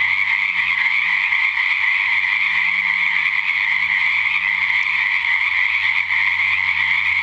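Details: Many frogs calling together after dark at a natural pond, 7:00pm, February 2009, following weeks of rain; unbroken high-pitched croaking chorus with a faint low steady hum underneath.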